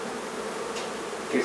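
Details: Honey bee colony in a hive being removed from a barn in La Feria, Texas: a steady, low droning hum of many bees, unbroken for the whole moment and swelling slightly at the end.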